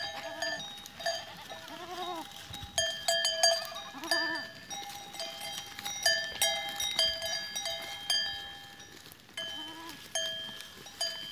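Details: Goats on 13 April 2023 giving repeated wavering, quavering bleats every couple of seconds, mixed with the constant clanging of numerous bells of different pitches.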